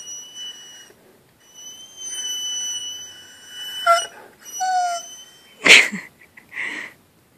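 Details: A 3-year-old Labrador-Great Pyrenees mix named Bacio, unhappy about wearing a cone after femoral head ostectomy surgery, gives long high whistled whines with a few sliding yelps, then a sharp burst; quiet room.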